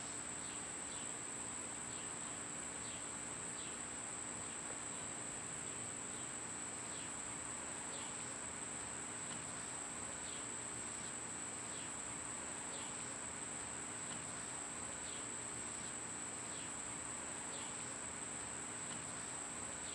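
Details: Summer cicada drone, a constant piercing high whine, overlaid by soft short chirps repeated roughly every second and a faint low hum.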